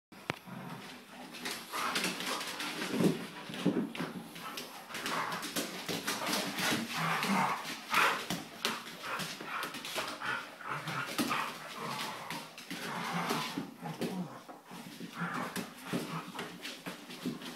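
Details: Two Portuguese Water Dogs in their daily play fight: rough, noisy growls and snarls in dense bursts, with scuffling throughout and a brief human voice.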